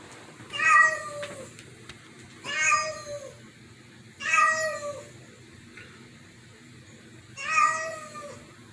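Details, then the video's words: Cats in a house reacting to an unfamiliar meow. Four strong, harmonic meows of similar shape, each sliding gently downward, spaced roughly two seconds apart over a quiet low hum. "Cats freaking out over strange meow"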